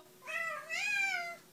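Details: A cat meowing as if saying hello gives one clear meow that starts softly, then swells into a longer, slightly rising and falling note, against a quiet background.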